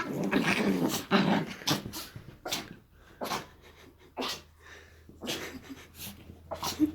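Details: Pet Chihuahuas Jessie and Eva at play: choppy growls and snuffling snorts in rapid uneven bursts, about two a second, with short quiet gaps and a low household hum.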